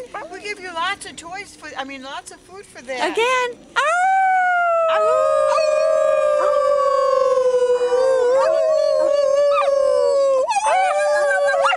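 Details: River, a coyote at a wildlife sanctuary in Sylmar, California, "sings" on cue, giving quick wavering yips and then one long, steady howl that slowly sags in pitch.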